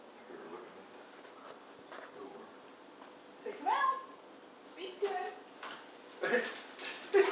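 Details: A female Siberian Husky playing with a man gives short, bending whines and yowls in bursts, with quiet human voices in the background.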